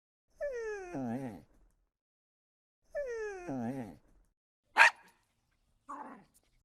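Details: Dog described as angry, giving two drawn-out whining calls that slide downward, each about a second long, followed by a single sharp bark and a softer, shorter bark.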